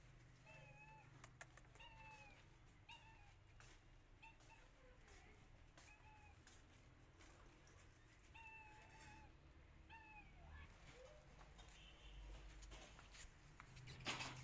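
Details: Meows from a pregnant cat sheltering in a home after an attack by a feral street cat: short, slightly rising-then-falling cries repeated roughly every second, over a low hum with some clicks and handling noise near the end.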